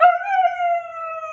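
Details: Meeka, a female talking Siberian Husky, throws a tantrum during a dance lesson. She gives a sustained, clear howl with a strong onset, held level and slowly falling over about a second, between her owner's instructions.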